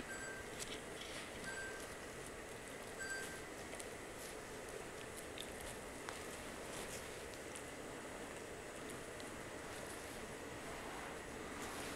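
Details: Quiet indoor background hiss with faint clinks and rustling and a few soft chime-like tones, with no animal call audible.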